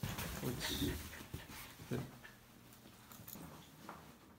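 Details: A dog at a pet-friendly pension in Gyeongju, South Korea, on a Saturday-evening trip, eats kibble, carrot and meat, with irregular crunching and chewing sounds and a person speaking nearby.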